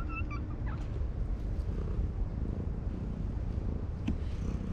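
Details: Ginger tabby cat on a breakwater purring while being stroked: a steady low rumbling throb fills the clip, with a few brief high whistled chirps near the start and a faint click late on.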